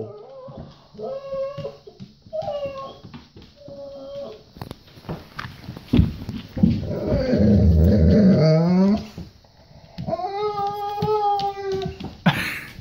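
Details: Golden Retriever Bo keeps 'talking' about needing to go potty: short repeated whining moans, then a loud burst of music and voices, followed by a longer downward-sliding harmonic whine near the end.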